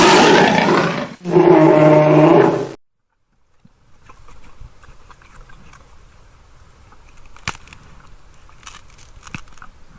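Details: Grizzly bear letting out two loud, rough roars back to back over nearly three seconds, then silence and faint rustling background noise with occasional clicks.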